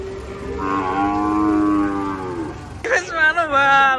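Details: Cattle being unloaded from a truck in Indonesia, where one animal was trampled by another on the way down. A long, low, steady moo lasts about two and a half seconds, then excited human voices follow.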